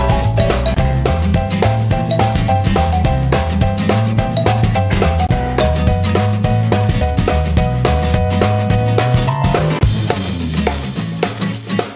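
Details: Loud drum-driven pop music with a steady beat and bass covers the whole recording, with no animal voice.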